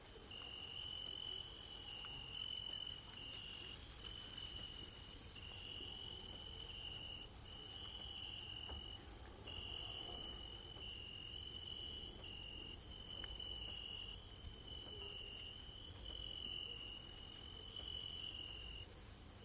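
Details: Crickets chirping on an evening: a continuous shrill high whine plus a lower trill repeating in regular bursts roughly every second, with a little low background rumble.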